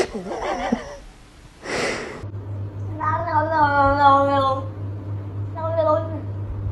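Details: A domestic cat lets out a long, steady, tonal meow of over a second, then a shorter second meow after a pause; a woman's speech and a sharp noise come first, with a low steady hum underneath.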